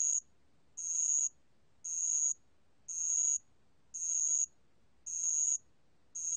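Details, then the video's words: {'caption': 'Regular chirping song of a bell cricket (알락방울벌레), recorded in 2020 by the National Institute of Biological Resources; shrill buzzing trills of about half a second recur about once a second in a quiet background.'} "알락방울벌레, 여러번 듣기, 곤충소리"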